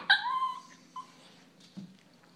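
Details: Little dog Luna, sitting at a kitchen table indoors, begging for food: a high, harmonic whimpering whine that falls slightly, then a brief softer yip, followed by a low thump in a quiet room.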